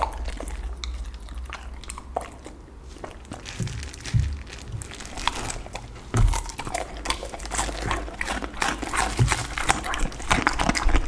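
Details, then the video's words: Pit bull dog eating a lunch of raw chicken, duck and cauliflower indoors, close ASMR recording: sharp crunching bites and wet chewing in irregular bursts over a low hum. "ASMR dog 狗狗的午餐，生的雞鴨子菜花！最強咀嚼聲"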